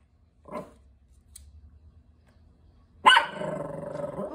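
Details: Chihuahua acting as a watch dog, barking at a neighbour from the street after sitting at the door all day; a short soft yelp, then a loud sharp bark followed by a sustained growl-like rumble.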